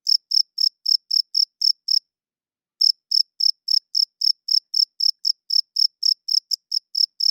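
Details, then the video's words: Crickets chirping at night, males calling to attract females and establish territory: high, sharp pulses about four per second, pausing briefly near the two-second mark before resuming steadily. No other sounds. "Cricket Chirping Sounds - Cricket klinkt 's nachts luid"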